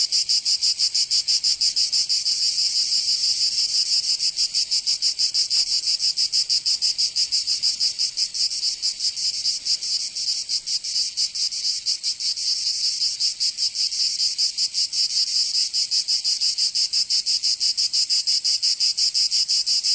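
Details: Long stretch of cicada song in summer Provence, southern France: a relentless high, grating buzz with rapid throbbing pulses that hold steady across the whole span.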